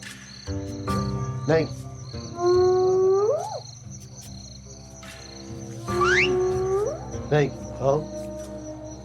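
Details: Hyenas arriving at night to be fed by a man, part of a pact between people and hyenas kept since the nineteenth century. Drawn-out whoops climb steeply in pitch, two main calls a few seconds apart, over steady background tones.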